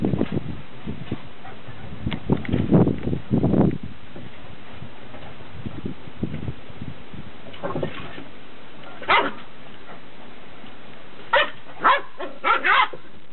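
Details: Beagle pups aged 69 days taken out onto a deck for their first run; low scuffling and grunting early, then a run of sharp high yips near the end, spaced about half a second apart.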